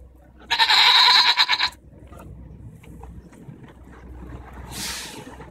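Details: Arguing domestic goats, June 24, 2014; one loud, drawn-out, vibrato bleat lasting over a second, then quiet rustling and a burst of hissy noise near the end.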